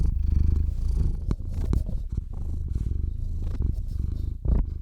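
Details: A sleepy domestic cat, Theo, purring into a RODE NTG-3 microphone on a Zoom H6: a softer, gently fading rumble with irregular breath pulses and a brief louder swell near the end.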